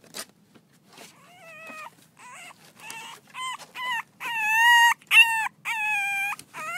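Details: Six-week-old French Bulldog puppies from Reddy's litter at play, giving a run of high whining yelps that start sparse and faint, then grow louder and closer together, each a steady tonal whine held about half a second.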